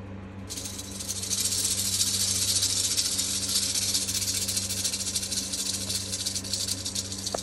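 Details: Eastern diamondback rattlesnake rattling; a dry, hissing buzz starts abruptly after half a second and holds steady for about seven seconds over a faint low hum.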